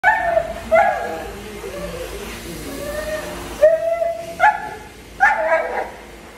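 A Doberman gives sharp, harmonic barks and whines as its fear shifts into defensiveness.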